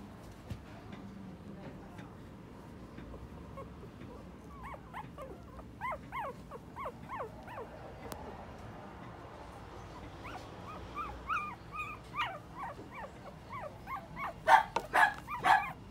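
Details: Young male puppy offered by a breeder, recorded 1 December 2020; thin, high whining whimpers in short rising-falling bursts, growing louder and more frequent toward the end, with faint background noise.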